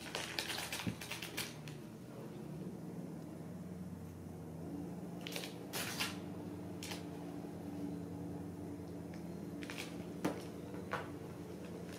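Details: Sharp scattered clicks and taps indoors over a steady low hum, like typing or light tapping in a small room.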